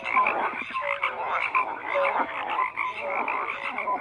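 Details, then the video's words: Frogs croak in a crowded chorus, rough pulsed calls overlapping closely while short clear tonal notes pop out now and then. "FROGS CROAKING"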